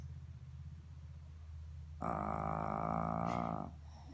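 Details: A sleeping female Shih Tzu gives one long, buzzy, droning snore after a quiet low hum.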